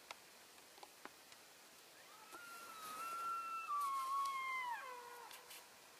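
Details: Elk in a herd on February 3, 2012, calling to keep in touch while moving between grazing areas; one drawn-out tonal mew, steady then wavering, sliding down to a lower pitch at the end, with a few faint clicks beforehand.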